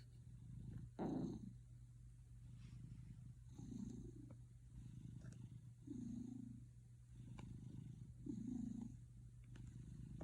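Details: Gildong, a pet cat living with a man, purring in a way likened to a man's snoring: low rumbling bursts swell roughly every two to three seconds over a steady low electrical hum.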